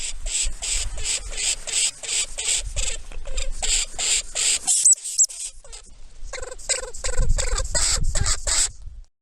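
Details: A North American lemming gives rapid, sharp squeaks in quick bursts, about three per second, with a short pause midway and some low rustling underneath.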